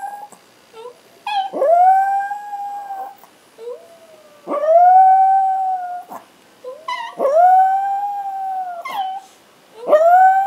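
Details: Ace, a Chihuahua who howls when he can't find his mom, joins the brown Chihuahua Oscar. They give repeated drawn-out howls, each one starting with a sharp upward sweep and then holding a steady tone, with quiet pauses of about a second in between.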